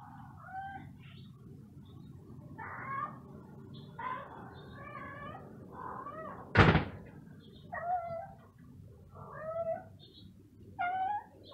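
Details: Stray cat, perhaps hungry, gives a series of drawn-out, wavering meows every second or two, with a sharp thump near the middle and low background rumble throughout.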